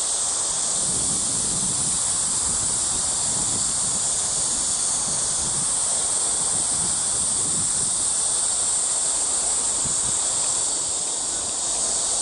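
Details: Crickets calling at Eulsukdo bird sanctuary, Busan, South Korea, 30 August 2018: a steady high shimmering buzz over faint low rumbling background noise, constant throughout.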